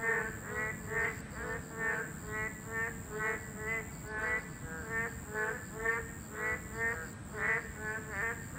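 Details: Boreal digging frogs, a class 2 protected species, calling at their breeding habitat: nasal, harmonic-rich croaks repeated about once a second by several overlapping frogs, with a steady high-pitched hiss throughout.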